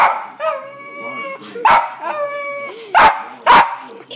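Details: West Highland White Terrier reacting to dogs on television: steady whining tones broken by three loud sharp barks toward the end, with TV audio in the background.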